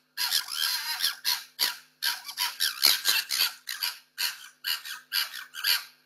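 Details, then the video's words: Pair of foxes clashing on the street over territory and food in lockdown, recorded by a security camera: rapid series of hoarse, squealing shrieks, each burst short and broad, fired off in a ragged, uneven rhythm. "What sound does a fox make? Fox fighting for food and territory!"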